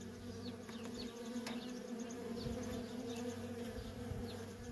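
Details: Steady humming drone of worker honey bees coming and going at a feral colony, layered wingbeat tones with short upward-sweeping whines as single bees fly past close by.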